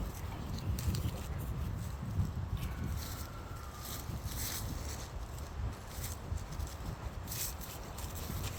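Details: Elsa, a Boerboel dog, coughing and spluttering outdoors after getting tree bark down her throat while chewing it. Rough, low bursts of coughing come in short fits, with a person's voice nearby.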